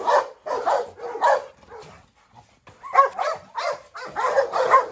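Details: Presa Canario Hu Niu pursued around a yard by Rottweiler Pirate, a Staffordshire also stirring trouble. A few spaced, hoarse barks, a quiet lull, then a fresh cluster of barks.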